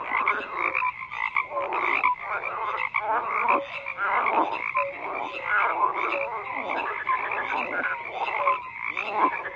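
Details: Frogs in large numbers fill the air with layered croaks, raspy pulsed bursts rising and falling every second or so over a continuous chorus.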